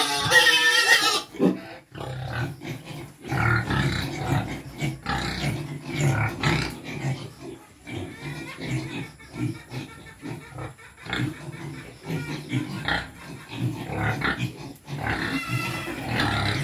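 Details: Quezon black native pigs feeding, with steady rapid grunting and snuffling through most of the stretch, some louder squeals, a brief burst of music at the start and occasional voices.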